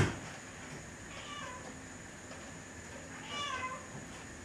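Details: Aurora kittens at three weeks old, recorded on 20 November 2011; a faint thin mew early, then a clearer high, slightly rising meow with stacked overtones near the end, against a quiet room hum.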